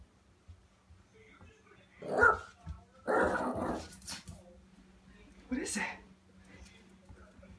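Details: Cairn Terrier puppy playing with a door stop, giving three short sharp barks or yips spaced over several seconds, the middle one longest, with quiet rustling and small knocks between them.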